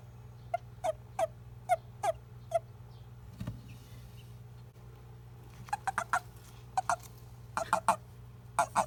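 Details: Japanese common toad, a male, calling when grabbed. The call reportedly tells a clasping male that it is male, not female. Irregular groups of brief, sharp chirps are separated by a pause and play over a constant low droning hum.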